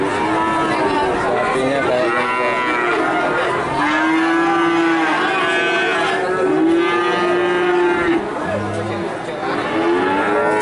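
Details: Calves of cattle in Nganjuk, Indonesia. Drawn-out, rich-toned moos from several animals overlap, a few swelling and dipping in pitch, with a low hum of human voices behind them.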